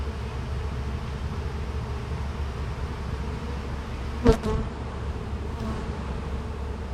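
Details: Bees inside a hive, opened during a hive inspection: a steady, low droning hum with a faint sustained tone layered above it and one brief sharp click midway through.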